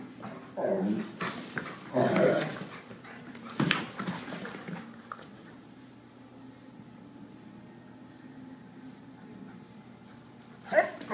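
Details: Three dogs playing together indoors through a morning: short, rough whining and yelping bursts at around one to four seconds, then a quiet stretch with a steady hum, and a sharp final burst near the end.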